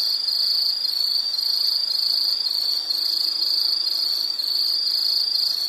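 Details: Insect calling in a continuous high-pitched shrill trill, steady and unbroken with slight pulsing throughout, no other clear sounds.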